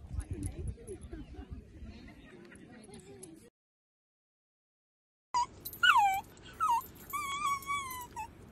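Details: Playful Dachshund, a sausage dog, whimpering: after a brief silent gap, a run of thin, high whines that bend and slide downward, some stretched and wavering, coming in quick bursts; low muffled rustling and murmuring fill the opening seconds.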